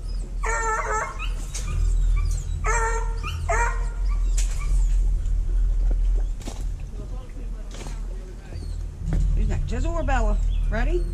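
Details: Kennel hounds being put back into their pens one by one after feeding and pen cleaning, filmed on a GoPro Hero 5 Black; several bursts of harmonic, yelping bays, some rising and falling, with a man's voice calling the dogs between them.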